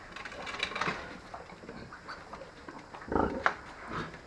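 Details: Hungry newborn domestic piglets from a sow's early-morning litter, set aside together in a pen after the birth. Short squeals and grunts come in scattered bursts, with a louder cluster near the end, over steady farmyard background noise.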